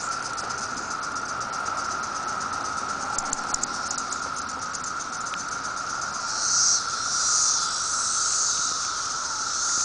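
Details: 17-year periodical cicadas swarming on a Riverside, Illinois tree near Chicago, June 15, 2007: a dense, unbroken droning chorus with a steady hum and a hissing wash, swelling in brief louder surges toward the end.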